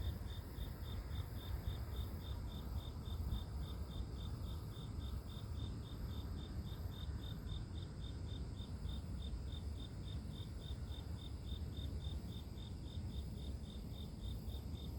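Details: Natural grass insect chorus meant as white noise for sleep: a rapid train of bright, high-pitched chirps, about five per second, keeps an unbroken rhythm over a heavy low rumble and soft high hiss.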